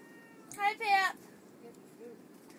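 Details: Chihuahuas out in a blizzard give two short, high, squeaky whines in quick succession, each with a bent, wavering pitch. Quieter faint sounds trail after, over a steady soft background hiss.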